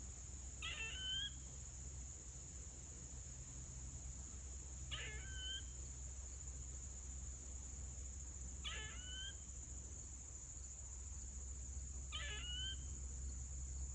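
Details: A squirrel screeches four times, each a brief raspy burst ending in a thin upward whistle, roughly four seconds apart, with a constant high-pitched whine behind.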